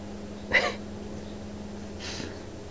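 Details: Amber, a pet dog who 'talks' when angry, protesting while told the bed is not hers: two short, breathy, grumbling bursts about one and a half seconds apart over a steady low electrical hum indoors.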